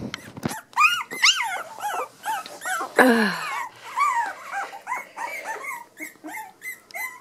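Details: Three-week-old Cavachon puppies whining indoors: many short, high, arched whimpers in quick succession from several pups, with one louder squeal near the middle and softer chirping cries toward the end.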